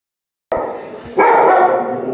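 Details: German Shepherd named Yuvi barking at a clock indoors; one loud harsh bark bursts out after half a second of silence, followed by a second sustained, strained bark with a wavering tone.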